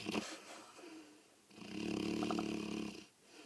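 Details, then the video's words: Dezi, a pet dog, snoring indoors at night: a short rasp, then a long buzzy snore swelling and fading over about a second and a half, with faint breathy noise between. "Dezi snoring"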